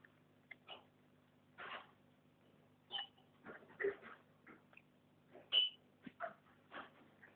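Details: Puppies, a male and a female, indoors while the male is 'grooming' the female: short scattered whimpers and yips at irregular intervals, some thin high squeals, over a quiet steady background hum.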